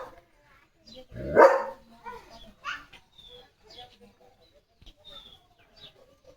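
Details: Leo, a German Shepherd dog, on an evening sunset walk through farm fields while playing with a balloon, gives one loud, sharp bark amid people talking in Marathi, followed by scattered faint chirps and soft rustling.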